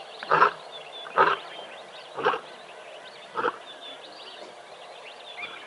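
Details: On the morning of 24 May 2021, playful lions at Tembe Elephant Park, caught on a live cam, give four short, rough grunting calls about a second apart, fading in strength. Soft bird twitters continue behind them.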